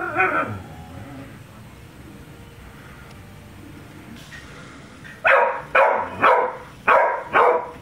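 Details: Charly, a female pet dog, reacting to balloons: a soft whine opens, then after a quiet stretch comes a run of five loud, evenly spaced barks about half a second apart.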